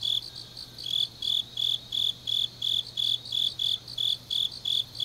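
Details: Autumn grass insects at night in Changnyeong, Gyeongnam: short, bright, high-pitched chirps pulsing in a steady rhythm about three per second, backed by a faint insect buzz and low hum.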